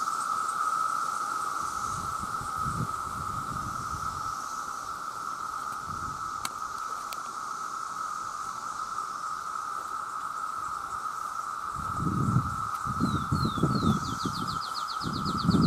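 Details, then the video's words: Massed male cicadas crying out to attract mates, millions strong: a constant level drone runs the whole way while low rumbling bursts come and go, two sharp clicks sound midway, and a short bird trill enters near the end. "The Sound of The Cicada"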